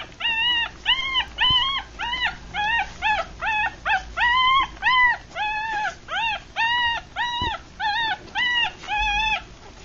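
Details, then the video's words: Three-day-old Rat Terrier and Chihuahua cross puppies, a litter of six with eyes still closed, feeding; a steady series of high, arched whimpering cries, about two per second, each tonal with rising-then-falling pitch. "3 Day Old Puppies"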